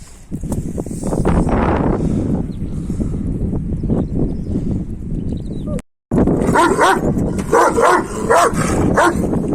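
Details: Kangal dogs, males including Deli İbo trying to reach a female, separated by a wire fence: dense overlapping whines, yelps and rough barks in irregular bursts, men laughing and talking nearby, a brief silent break near the middle.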